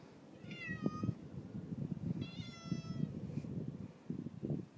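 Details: Friendly neighbour's cat being fed, giving two short, fairly quiet meows about two seconds apart over a steady background of clatter and handling noise.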